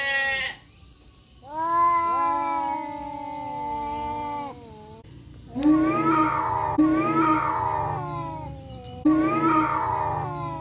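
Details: Black and striped male village cats meet again and fight in an Indonesian forest: long level yowls give way to shorter, wavering, rising wails repeated roughly every second, with a faint low hum underneath.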